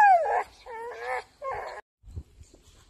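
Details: Soft Coated Wheaten Terrier in France giving three short, high whines, each sliding in pitch, followed by faint soft rustling.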